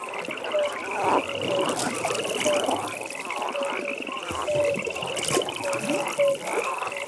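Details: Pond frogs at night, many voices: a rapid beaded trill repeats in bursts up high, and brief tonal croaks recur every second or so lower down, with occasional soft splashy knocks.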